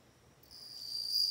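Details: Bell cricket singing a clear, high, pure ringing note that begins after a brief near-silent pause and swells steadily louder as it is held, with a faint higher overtone and no other notable sounds.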